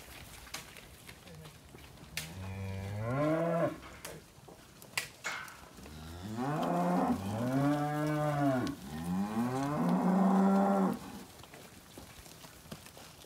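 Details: Angus and Black Baldy weaner steers and heifers at a March 2021 sale in Casino: three long, deep moos in succession, each swelling then dropping, separated by sharp metallic clanks and bangs of the sale yards.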